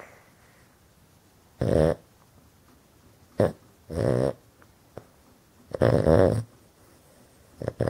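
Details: Pet Boston terrier snoring loudly while asleep indoors with eyes open; owner says he snores all the time. Harsh, rasping snores in irregular bursts of about a quarter to three-quarters of a second, separated by quiet pauses.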